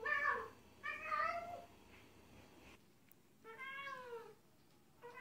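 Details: Affectionate, playful meowing of a domestic cat toward its guardian, linked to trust: two quick meows close together, a pause with low hiss, then a longer downward-curving meow and the start of another.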